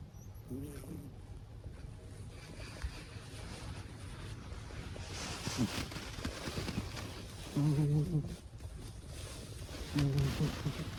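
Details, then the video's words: An elderly Abyssinian cat asleep and snoring, each breath a drawn-out, buzzy low snort roughly every two to three seconds, the strongest near the end, with a faint constant hum behind. "猫の いびき。。"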